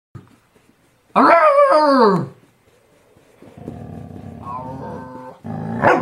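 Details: Pet dog "talking" with its owner's brother, giving a drawn-out, wavering whine-growl with falling pitch, then a lower rumbling growl with a rising tone, ending in a short burst.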